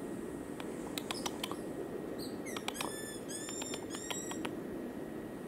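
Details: High, thin whistles from a cotton-top tamarin in Colombia. Scattered sharp chirps give way to a quick series of slightly falling, harmonic-rich whistled notes in the middle, over a constant low background hum.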